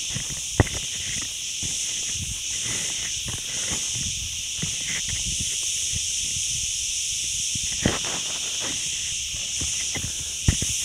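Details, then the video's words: Crickets along the forest road of Ghafsai near Ourtzagh, Taounate province: a steady, unbroken high-pitched trilling chorus in two bright bands, with scattered footstep clicks and crunches on the path below. "اصوات الصراصير"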